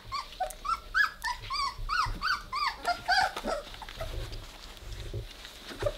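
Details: Weimaraner litter at three weeks old, playing with one another, letting out a dense run of shrill arched squeaks and little yips, about three or four a second, over soft shuffling and a low indoor hum.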